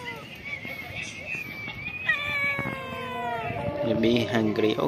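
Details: Cat living at a pagoda, among the cats fed there, giving long, drawn-out meows that slide slowly downward with bright ringing overtones for about four seconds, then human voices take over near the end.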